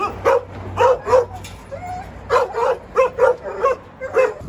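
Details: Jindo dog in Korea giving repeated short yelping barks in loose clusters of two or three, mid-pitched with bright upper overtones, over a faint low hum.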